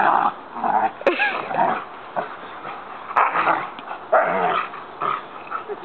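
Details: Jango, a nine-month-old male Rottweiler in a backyard sand pit, barking to alert as a roommate comes home from work, trained on a "What's That?" alert bark command: gruff, growly barks in irregular bursts over six seconds.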